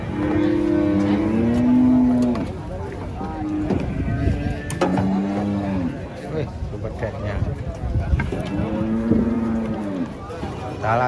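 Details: A huge cow goes wild during loading under a tree locals call haunted. It lets out three separate lowing moos, each a few seconds long and falling slightly in pitch, between stretches of human chatter.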